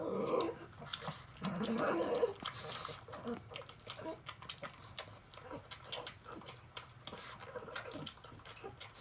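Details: Elderly female pug Rabi-san, sixteen, blind and deaf, at her canned tuna meal gives throaty snuffling grunts in the first few seconds, followed by rapid irregular lip smacks and chewing clicks in a small room.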